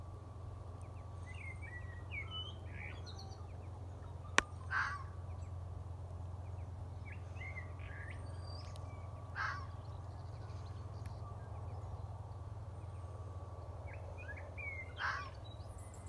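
A fox gives single hoarse barks about every five seconds, with soft bird chirps and a low rumble behind.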